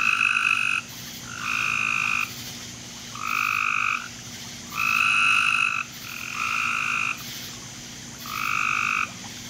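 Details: A frog calls in a backyard at 10:45 pm on July 24, 2017, giving loud, buzzy, second-long trills repeated every second or so.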